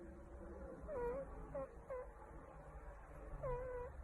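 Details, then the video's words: Meerkat making sounds while being scratched: a few drawn-out, falling then level moaning whines, spaced irregularly over a low background rumble. "Strange Animal makes sounds while getting scratched 😂 - Meerkat is a funny animal"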